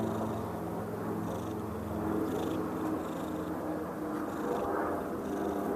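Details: A female cat purring loudly while trying to take an afternoon nap in a lap as an annoyingly loud airplane passes overhead; a steady, low, continuous rumbling purr runs beneath the broad roar of the aircraft.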